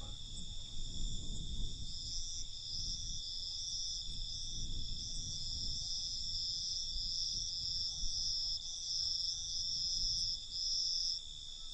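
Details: Crickets at night: several steady high trills layered together, with one brighter band pulsing in short uneven bursts through most of the stretch, over a soft low rumble.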